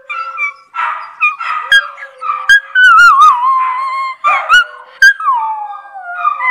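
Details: Howling miniature Schnauzer called Maya, her voice sliding and wobbling downward in bursts, punctuated by hiccups and yips, with other dogs howling along in a lower, droning tone.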